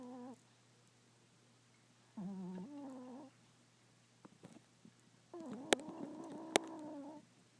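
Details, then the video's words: Deeply sleeping Chihuahua giving soft, humming snores, tonal and slightly whistled, each drawn out for one to two seconds with pauses of about two seconds between breaths, plus a couple of faint clicks. "Do Chihuahua's Dream, they definitely Snore"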